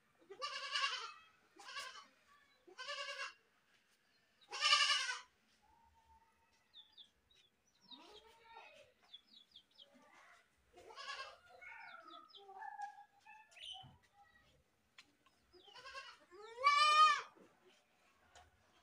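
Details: Goat screaming in a series of loud, harsh, harmonic bleats, several short ones in the first five seconds, then softer, fainter calls with clicks and rustles, and a final long, wavering, quavering scream around seventeen seconds.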